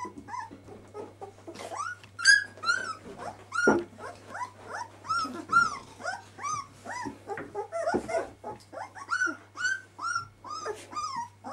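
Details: Litter of puppies at twelve days old, many high squeaky whines and yelps overlapping continuously, some sharply rising then dropping, over a faint constant low hum.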